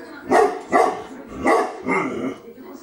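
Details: Tibetan Mastiff in Greece barking: four loud, rough, deep barks roughly half a second apart, each with a broad, harsh tone, trailing into a quieter low murmur at the end.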